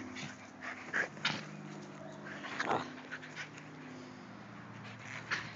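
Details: Italian Greyhounds playing in a backyard give a few short, high whimpering yelps scattered through the clip, with soft rustling and scuffling of movement between them.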